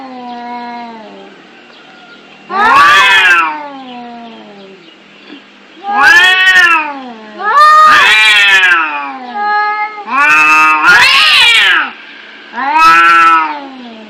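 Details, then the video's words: Fighting, angry cats: a quiet low moan opens, followed by a run of six loud, short, harsh yowls arriving every one to two seconds, each bending down in pitch. "Suara kucing berantem"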